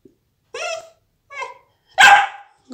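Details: Pet dog barking on command during training, answering a spoken "speak" cue: two soft yelping vocalizations followed by one louder sharp bark, with a person's praise and commands around it indoors.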